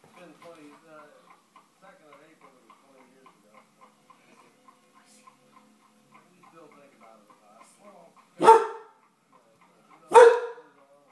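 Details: Jack, an English Bull Terrier indoors, barks at horse and carriage noise on TV to see off intruders. Soft talk and TV sound lead in, then two loud, sharp barks land about two seconds apart near the end.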